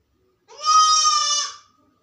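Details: Sick goat left alone in a room, calling loudly: one sustained, strongly harmonic bleat lasting about a second, steady in pitch with a slight waver, rising in and fading out cleanly against a quiet background.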